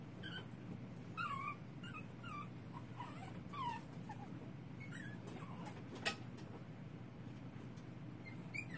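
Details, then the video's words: Baby puppy whimpering in darkness, giving short squeaky cries that bend up and down, a handful in the first seconds then sparser, with a sharp click near the middle and a low background hum. "Baby puppy crying in the dark."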